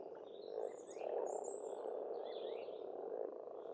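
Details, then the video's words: Many frogs calling at a pond on a farmstead in Estonia in spring, forming a dense, continuous low croaking chorus, with thin high bird whistles and chirps overhead. "Расслабляющее пение птиц и лягушек, весна, природа."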